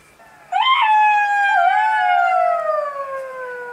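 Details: A jackal howling at night in the forest gives one long, loud, clear wail that jumps up sharply at the start, holds steady with a slight dip, then slowly slides downward for about three seconds.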